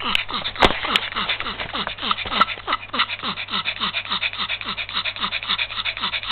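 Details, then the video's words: A little Yorkshire Terrier overcome by heat stroke in February 2015 pants rapidly and raggedly, each breath tinged with a falling whine, while a couple of sharp knocks sound near the start. "perrito con golpe de calor"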